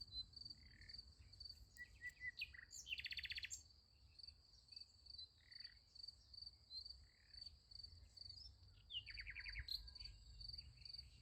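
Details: Night chorus of crickets near a sunflower field, a continuous high pulsing trill, interrupted by short buzzy rattles and scattered sharp chirps from other callers.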